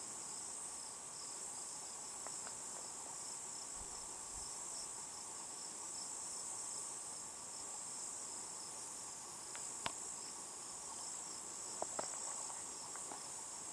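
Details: Cicada, possibly Tibicen inauditus, calling from a juniper in southeastern Colorado's Picket Wire Canyon at about 8 PM. A continuous shrill drone holds steady throughout, with a few brief sharp clicks near the end.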